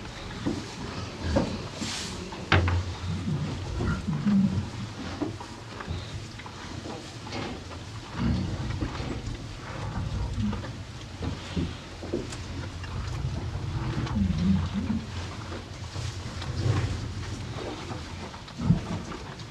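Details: Two cows on a farm eating hay: steady low crunching and rustling, with irregular munching bursts and soft thuds throughout, and occasional louder clicks as the hay is pulled and chewed.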